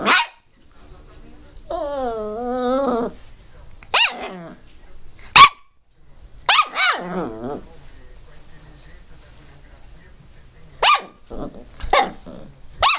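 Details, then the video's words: Pinscher named Teco crying very loudly: sharp yapping barks broken by two drawn-out wavering whine-howls, the first about a second long, then a scatter of single high, clipped barks toward the end. "pinscher latindo bravo - pinscher latindo alto - cachorro pinscher latindo"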